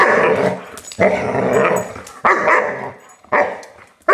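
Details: Colonel Klink, a 5-month-old German Shepherd puppy with a new toy, indoors, gives four rough, throaty growling barks. Each is a noisy burst that fades slowly, and they come about once a second.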